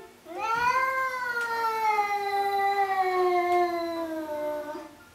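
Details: Domestic cat a month after a lion cut, answering when asked if it is still mad, taken as meaning it is not. One long, drawn-out meow rises briefly, then slides slowly downward for over four seconds, with faint background hiss.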